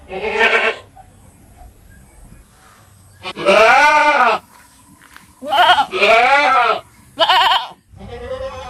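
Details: Goats on a farm letting out long, quavering bleats that waver up and down, several strong calls spaced apart, with quiet rumbling background noise in the gaps.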